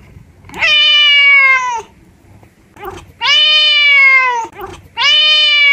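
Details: Domestic cat, close-up, giving three loud, drawn-out meows, each about a second long, bright and harmonic with a slight falling pitch at the end, spaced roughly two seconds apart in a quiet room.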